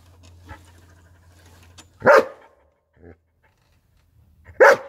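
Two loud, full-throated barks from a German Shepherd ring out, each short and harsh with a deep chesty tone. A faint low hum and a few soft sounds fill the quieter gaps between them.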